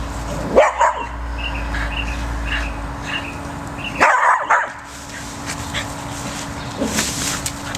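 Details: A pet male cocker spaniel, scared of a tunnel and trying to get his treats out of it, gives two short, sharp barks about three and a half seconds apart over a steady low hum.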